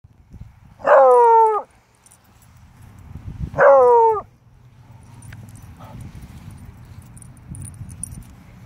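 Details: Pet dog barking at a snake it found in the grass, warning of it: two loud, harmonic barks about two and a half seconds apart, each sliding slightly downward, then quiet outdoor background with faint rustling.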